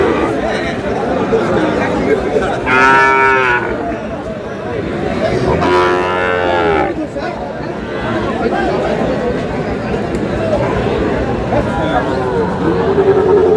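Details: Sahiwal bull calves for sale at Aftabganj market, Tuesday 19 May, as buyers and sellers haggle. Two strong, rich bellowing calls a few seconds apart rise above continuous crowd talk, with a softer call at the end.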